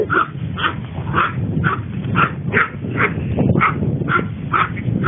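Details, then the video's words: A female Long Coat Chihuahua born in 2010, recorded during daily life at home, whimpers in short, clear, high-pitched yelps. They repeat evenly about twice a second over a low indoor rumble. "ロングコートチワワの鳴き声集 キュンキュン可愛い鳴き声から唸り声まで♪ Long coat chihuahua cry"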